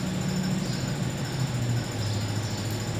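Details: Steady low engine idling rumble with a droning tone, heard indoors, and no animal voice.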